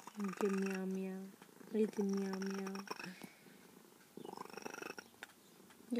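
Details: Once truly feral female cat, said to sound like a little bird, talks to her caretaker in three low, rolling chirp-trills, each about a second long and separated by short pauses, with faint indoor rustling.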